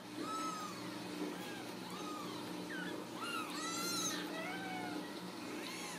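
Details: Several young Ragdoll kittens, home-raised without cages in central Kansas, mewing repeatedly in thin, high, arching cries that overlap and come every second or so over a steady low household hum.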